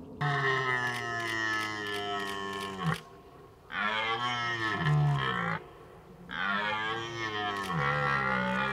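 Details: Red deer in the rutting season giving three long, hoarse bellowing roars, each about two to three seconds, rich in stacked harmonics with a rising-then-falling contour, separated by short pauses.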